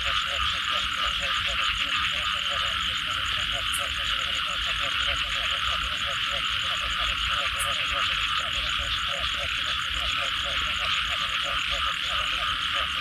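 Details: Many frogs calling together after rain: steady streams of short, throaty pulses repeating throughout, layered over a dense hissing chorus and an even, rapid high-pitched ticking.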